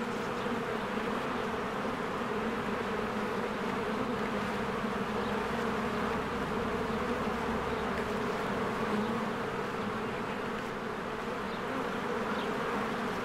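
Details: Swarms of honeybees working at their hive in spring produce a constant, layered buzz, a steady humming wall with slight flickers as individual bees pass close.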